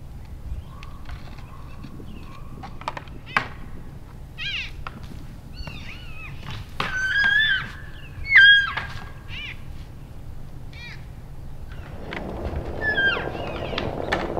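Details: Several elk bulls sparring and playing in late January, after the rut; scattered high squealing chirps rise and fall mid-clip, with sharp antler-like clacks and a low steady rumble beneath.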